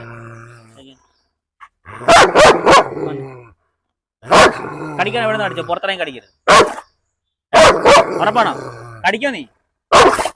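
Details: Unleashed German Shepherd in Perumbavoor, provoked during a dog challenge. Sharp double and triple barks come in irregular bursts about every two seconds, mixed with excited human speech.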